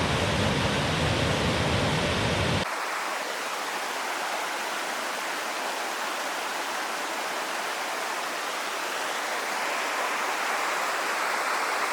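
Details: Steady rushing water from a stream or waterfall fills the whole stretch. A fuller low roar opens the first seconds, then gives way to a softer, even hiss, and no animal calls stand out.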